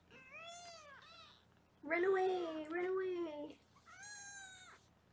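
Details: Foster kittens being weighed indoors in Los Angeles, heard as high, arching meows that rise then fall, one at the start and another near the end, with a woman talking in between.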